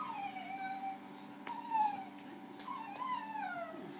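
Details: Zac, a Maltese cross dog, unhappy during his first hydrobath: high, drawn-out whines sliding downward, several in a row, with steady machine hum beneath.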